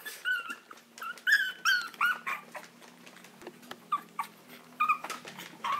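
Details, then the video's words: Pleading Maltese wanting out, Herzen rein kennel: a string of short, high, nasal whimpers, each slightly bent in pitch, repeated at an uneven quick pace over a steady low indoor hum. "당장 꺼내줘 - 헤르젠 말티즈"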